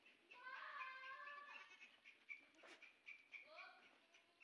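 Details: Sojat goats, bucks kept for Eid at a goat farm in Indave, Sakri taluka, Dhule district; a long wavering, nasal bleat lasts over a second, followed by shorter, rising bleats toward the end amid faint background noise.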